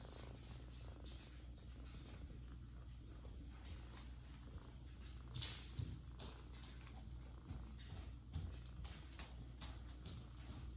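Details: Domestic mother cat Jaco, recently mother of three kittens, nursing the older adopted kitten Kira; a steady low rumbling purr runs throughout, with soft rustling and faint clicks above.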